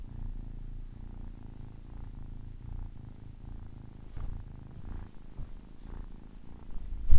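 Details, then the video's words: A 10-week-old kitten purring: a soft, low, continuous rumble with uneven pulses, fading slightly midway before swelling louder near the end. "10 weeks old kitten purring"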